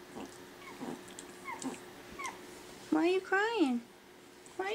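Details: Five-week-old Pekingese puppies playing in their pen after breakfast; high whining cries that slide up then fall, a few soft squeaks early then two louder drawn-out whimpers, with a woman's voice talking.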